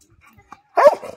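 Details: American Staffordshire Terrier, a tri-colour male, barking out of boredom: one short loud bark with a harmonic, slightly falling tone, preceded by faint soft noises.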